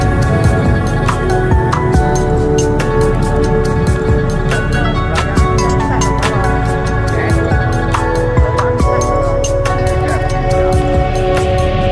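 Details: Steady music with a low rumble and sharp clicks throughout; no animal call can be picked out.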